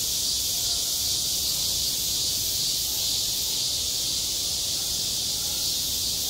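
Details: On a school playground in high summer, cicadas keep up an intense, even, high sizzling drone without breaks, loud and constant across the whole stretch.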